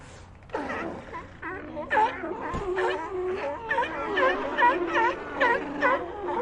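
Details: A crowded sea lion colony: a quieter opening gives way to loud, overlapping moaning calls with quick downward-then-upward bends, pulsing in irregular waves of barks and wails.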